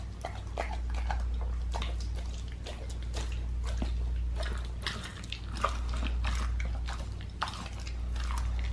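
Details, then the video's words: Raw-feeding pit bull working through a raw lamb leg, sharp crunching bites and tearing clicks in quick uneven bursts, with a constant low rumble underneath. "ASMR MUKBANG PITBULL EATING RAW LEG OF LAMB"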